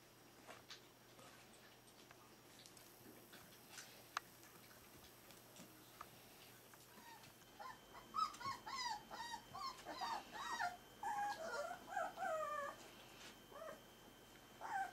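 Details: Four-week-old Berger des Pyrénées à Face Rase puppies from Jomgarden, heard as a burst of high whimpers and yips in the second half, overlapping and irregular after a quiet start with faint rustling.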